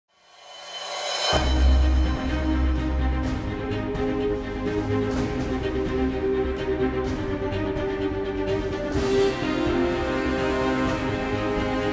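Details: Dramatic theme music with deep drum hits swells in after a short silence, with no animal voices.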